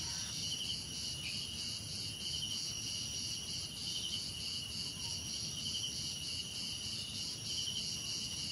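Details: Relaxing cricket sounds, a constant high-pitched shimmering trill chorus with a few intermittent pulsed chirps, over a soft low background rumble.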